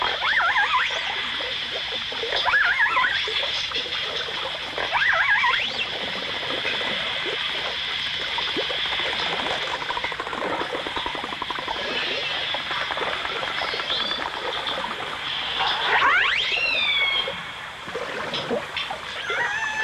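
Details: Dolphins, recorded alongside orcas in a 1989 stereo release, give dense crackling click trains under scattered whistles. Short rising and falling sweeps appear throughout, with a loud sharp upsweep late on, all over a steady high hiss.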